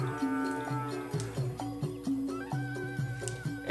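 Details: Traditional folk music with sustained melodic tones and rhythmic percussion hits, without any animal sound.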